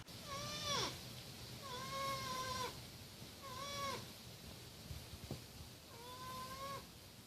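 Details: Porcupine giving four drawn-out, nasal whining calls, each level, then dropping sharply at the end, spaced about two seconds apart over a quiet background hiss.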